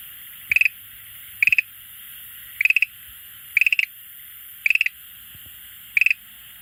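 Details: Schlegel's green tree frog that comes to an aquarium every day to call gives six short rattling bursts of rapid clicks, each lasting a fraction of a second and spaced about one second apart, over quiet background.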